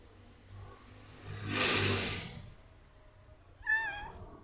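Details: Short, clear meow from a cat walking around near a person, rising then falling, heard after a broad rushing noise swell; low background hum throughout.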